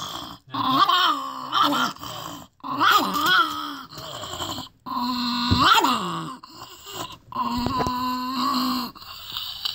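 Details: Chihuahua named Scoobie grumbling after being told to go to bed at bedtime: a series of drawn-out, wavering groans and whiny grumbles in bursts about every two seconds, with a person speaking briefly before.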